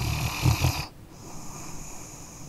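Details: Brief snore from a sleeping dog: a low, rattling, vibrating inhale with a few throaty pulses, cut off abruptly and followed by a faint, airy hiss of breath.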